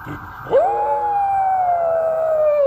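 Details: Howling dog Rex answering an ambulance siren: one clear howl starts abruptly, then holds a long, steady tone that slowly slides lower for two seconds, with the siren faint behind it.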